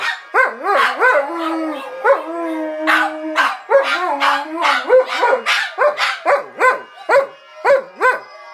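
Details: Dogs howling with banjo playing, swooping howls that slide up and hold steady tones, mixed with rapid twangy plucked banjo notes repeating several times a second.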